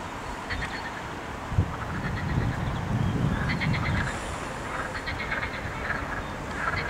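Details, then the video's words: Croaking frog chorus recorded 8 May 2021 where mallards were present; several overlapping rattling, pulsed calls cluster in the second half, with a constant low rumble and a brief thump early on. "rechot żab"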